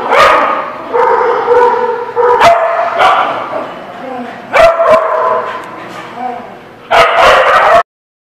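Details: Dog at The Barking Lot, recorded 4/17/17; loud yowling, drawn-out barks in bursts roughly every second, harmonic and wavering, with sharp clicks between bursts and an abrupt cut near the end.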